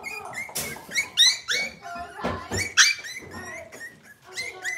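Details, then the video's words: Cavalier King Charles Spaniel puppies from Robin's litter, filmed indoors on a kitchen livestream cam, give a dense chorus of overlapping high squeals and whimpers that rise and fall, several voices at once, with clicks and bumps in between. "Cavalier Puppy Live Stream: Robin's Puppies"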